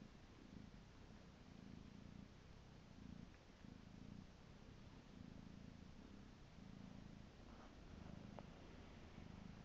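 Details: Steady rhythmic purring from Piko, a pet cat, alternates in even rumbling bursts about every second, each breath cycle clearly separated by short gaps, with a faint click near the end.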